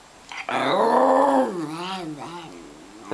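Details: Scruffy, a miniature schnauzer, grumpy and unhappy with an early morning wake-up, gives a long harmonic growling moan that rises, then wavers and sinks over about two and a half seconds indoors, while a person coaxes him to say mama.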